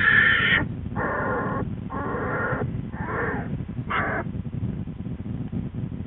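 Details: Black bear cub screaming in the den beside its sleeping mother Lily and twin, February 13, 2013. Four or five grating, buzzy bursts come roughly every second, then fade into muffled low rustling and breathing.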